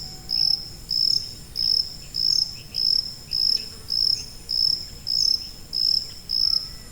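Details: High-frequency cricket used as masking noise for tinnitus: bright, thin chirp bursts repeat about every 0.6 seconds, around eleven in a row, very regular, over a quiet low rumble.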